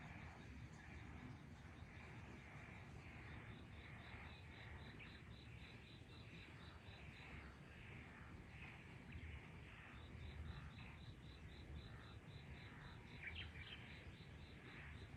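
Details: Frogs chorusing in a garden on an evening in May, 23 May 2022 at 18:34; dense overlapping croaks with rapid repeated high pulsing notes running through most of the recording over low background rumble.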